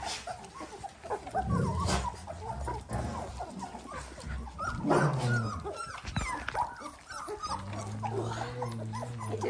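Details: Eighteen-day-old Dalmatian puppies whimpering in a cluster: scattered thin squeaks early on, then a busier burst of yips midway, fading into a low droning hum toward the end.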